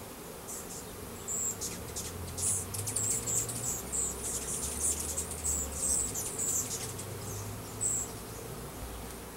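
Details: A new hive in April 2012 receives a 3-pound package of Russian/Carniolan hybrid honey bees, some 10,000 with one queen; a dense, even buzzing swells slightly, while repeated high squeaky chirps and a deep rumble sound behind it.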